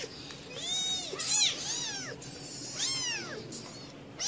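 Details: Domestic cat, a mother caring for her kittens on the fourth day, guarding and protecting them; high, arching mews overlap one another, several rising and falling in quick succession, with a faint steady hum beneath.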